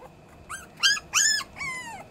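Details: Puppies crying in a kennel, wanting to get out, filmed August 12, 2024: four high, arching whimpered yelps in quick succession, the last one longer and slowly falling, over a quiet steady background hum.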